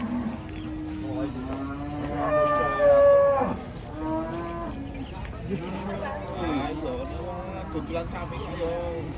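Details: Raging cattle (sapi ngamuk) bellowing in Indonesia: long harmonic moos, one steady low call followed by a louder, higher strained bellow near three seconds, then more overlapping wavering moos from several animals.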